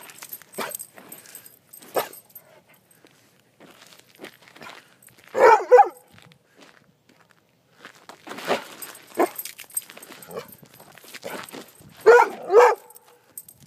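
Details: Rhodesian Ridgeback learning to run on ice gives two short, loud, rough barks near the middle and end, between scattered scraping and scuffling footsteps on the ice and quieter rustling.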